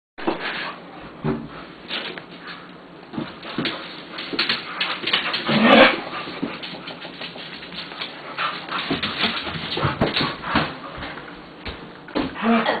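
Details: Two purebred puppies playing together, giving a steady stream of rough, noisy growls mixed with short yips and whimpers, with a louder scuffling burst about halfway through.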